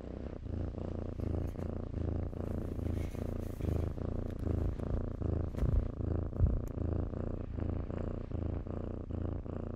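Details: Purring from kittens at play among blankets: a deep, continuous rumble rising and falling with each breath in a steady rhythm, with light clicks and soft rustles.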